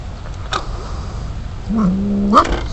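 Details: Wild mother cat with kittens, captured by a Lorex surveillance system more than 50 ft from its base station: a low, steady, drawn-out tone of about half a second, then a short sharply rising cry, over constant low hum.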